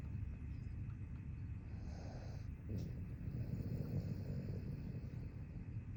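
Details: Boston Terrier. A Boston Terrier snores in a low, rough rumble that carries on without a break. A faint higher hum runs underneath at times.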